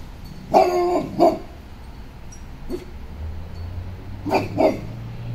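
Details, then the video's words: Cane Corso barking to defend property from intruders, with a Pocket Beagle also on guard; two quick pairs of deep, loud barks, one at the start and one near the end, with a faint low hum between. "Cane Corso and Pocket Beagle Defend Property from Intruders"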